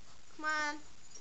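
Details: A puppy kept as a pet lets out a single short, level, reedy whine lasting under half a second against faint background hiss.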